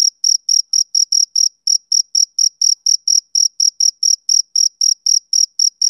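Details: A male cricket's rhythmic summer-evening chirp, sharp high bursts roughly four per second with a couple of brief skipped beats, no background noise or other animals.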